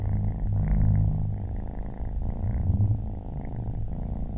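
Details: Close, loud purring from a baby kitten: deep continuous rumble with regular short breaks roughly every three-quarters of a second, faint higher tones riding on top.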